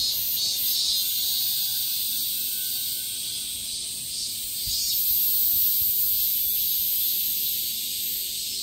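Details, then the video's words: Cicadas keeping up a high, hissing, continuous shrill buzz that swells slightly in loudness partway through, with nothing else clearly heard. "Cicadas sound"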